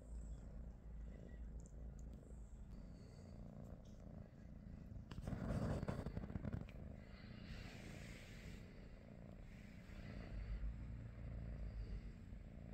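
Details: Low continuous purr from a British Shorthair, one of three cats named Pikachu, Teddy and Rosie, on a morning indoors; a burst of rustling and movement noise midway masks it briefly.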